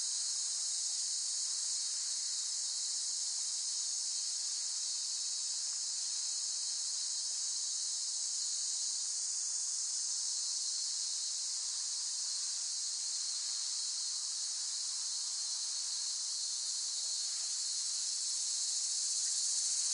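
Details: Steady, piercing cicada drone held unbroken throughout, with a slight swell in loudness near the end and no other clear sounds.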